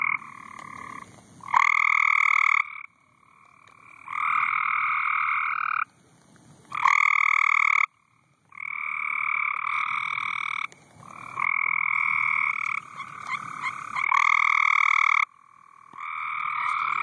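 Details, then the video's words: At night during severe storms, frogs on a pool cover croak in loud, drawn-out nasal notes, each held a second or two and repeated in turns. "Frogs croaking on the pool cover"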